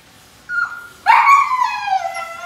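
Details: Show-quality Siberian Husky puppy at Melarn Kennel in the Philippines gives a thin, steady whine that dips briefly, then a louder, drawn-out whimper falling slowly in pitch, rich in overtones, against a quiet indoor background.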